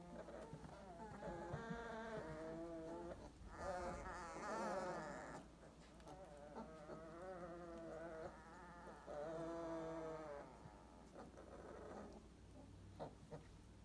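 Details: Purebred Weimaraner puppies at 22 days old, 2018, crying in sustained, quavering whines. Several drawn-out bouts of two to three seconds with slight pauses between, over a steady low hum.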